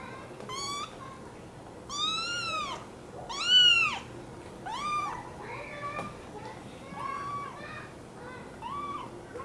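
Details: Repeated meowing from an American Curl kitten: a run of loud, rising-then-falling cries near the start, then softer, shorter mews trailing off, with faint voices underneath.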